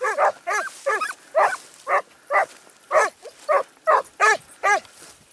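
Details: Segugio Italiano hound during a training outing at Sofiko, Evros, on 12 September 2018, giving a steady run of about thirteen loud, ringing, harmonic barks, each one short and spaced roughly half a second apart, with a quiet outdoor background.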